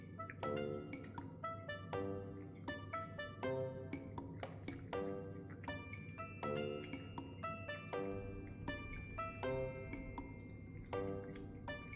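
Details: Gentle piano music with plucked notes and soft chords fills the room, with no animal sound heard.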